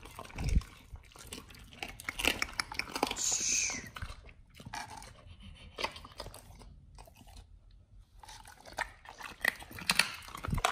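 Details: Several dogs on a raw diet eating raw chicken breast and duck feet indoors, recorded up close: wet crunching and biting in irregular bursts, with sharp cracks of bone and quieter gnawing between them.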